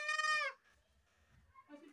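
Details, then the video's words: Goat screaming: one loud, harmonic-rich cry about half a second long, steady then dropping slightly at the end, followed by quiet rustling and a faint, softer call near the close. "goat screaming"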